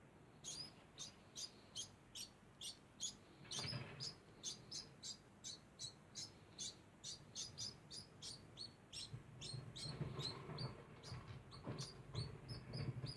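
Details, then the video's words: Degu making a constant sound: a steady series of short, high chirps, roughly three each second, with low thumps and rustling in the middle and toward the end. "Degu makes constant sound"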